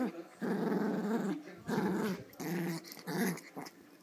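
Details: Adult female Pomeranian growling while playing over a toy with a smaller pom. Gravelly, throaty growls come in four bursts of about a second, with brief quiet gaps between them.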